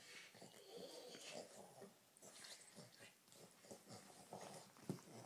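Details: Two Boston Terrier brothers play-wrestling indoors, biting each other's legs; soft wheezy snorts, grumbling growls and panting breaths in irregular bursts, with a sharper snort near the end.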